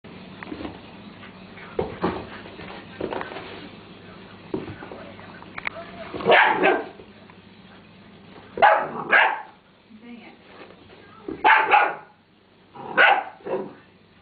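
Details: Young pet Dalmatian puppy, nine weeks old, indoors chasing a toy ferret around the floor; a few short sharp barks and yelps come in bursts around six to thirteen seconds over a low steady hum, with soft thumps of play between.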